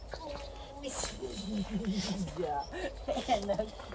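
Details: Happy female Alaskan Malamute howling as her people come back home: a run of wavering, warbling tones rising and falling in quick bends, with people's voices and laughter.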